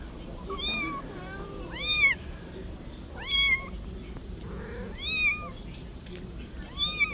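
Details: Mother cat living on the street, begging for her kitten back out of fear it will be harmed: five high, arched meows about every second and a half, each rising then falling, over a faint background hum.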